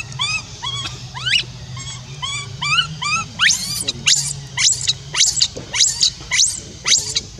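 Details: Left alone, the young orphan monkey Rainbow calls Libby back with crying: opening string of quavering harmonic whimpers, then loud shrill screams repeated about once a second, low hum underneath.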